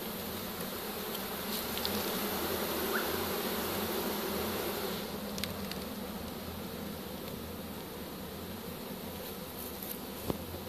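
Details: Many honey bees from a swarm captured in a pole bucket, March 2015, now in a hive with drawn comb; a loud, sustained low drone with a steady pitched hum underneath and occasional sharp clicks.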